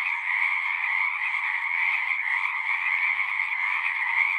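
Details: Singing frogs in large numbers form a seamless, shimmering chorus of rapid croaks, steady and dense, with no single caller standing out and nothing else audible.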